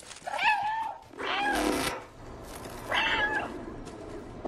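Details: Domestic cat giving two drawn-out meows, each with a clear tonal pitch that bends and falls, separated by a short breathy noise burst, in a quiet indoor setting.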